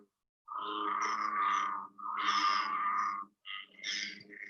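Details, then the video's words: American bullfrog gives deep, droning, resonant calls in long drawn-out notes, the big deep one among New Hampshire's native frogs; other frogs such as peepers may call in the background. "And then the bullfrog is the big deep one."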